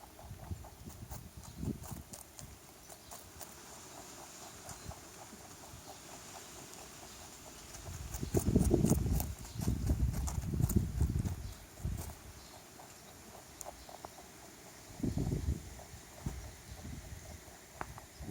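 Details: A stray rabbit visiting a backyard crunches a carrot with quick, dry bites and grinding chews repeating several times a second.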